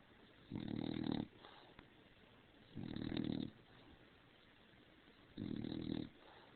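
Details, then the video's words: Overheated female dog, head out from under the covers, making very loud snoring noises: three rough, buzzing snores of about half a second, spaced around two to two and a half seconds apart. "Do Snore"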